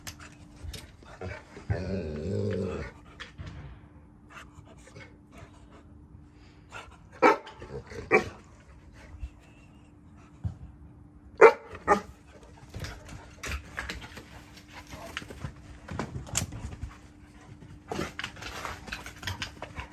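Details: Cane Corso guarding at night: a low, rumbling, harmonic growl lasting about a second near the start, followed by scattered clicks, thumps and brief rustling noises with quiet gaps between.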